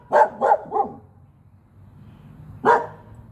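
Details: Male Norwegian Elkhound barking while playing over a toy: a quick run of three short barks, a pause of nearly two seconds, then one more bark.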